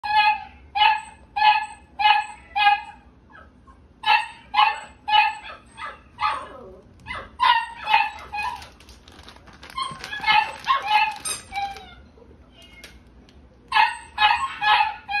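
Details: Female gold-and-white dog born March 2021, barking in steady runs of sharp, evenly spaced barks roughly two per second, with short pauses between bursts and a quieter stretch of mixed yips midway.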